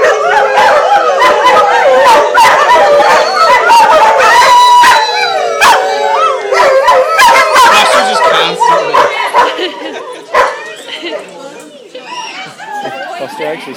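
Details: A group of greyhounds sings and howls at a 2010 picnic in Atlantic Canada, dense overlapping wavering howls and yips that build and then fade away, with human voices audible throughout.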